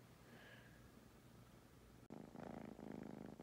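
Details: Purring from fostered kittens napping indoors in Huntsville, Alabama, a litter from the Athens Limestone shelter; quiet low hum for two seconds, then a sudden close, loud, dense rumbling purr fills the rest.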